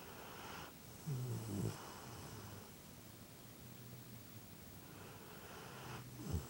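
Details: Momo, a pet dog, snoring at home on a lazy Sunday: soft low droning snores with a couple of louder snorting breaths, steady hiss underneath.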